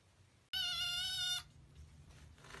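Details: Tiny kitten, one of six kittens found in an engine and the only survivor, gives a single loud, high, sustained squeak lasting about a second, thin and steady with rich overtones, then quiet room hum.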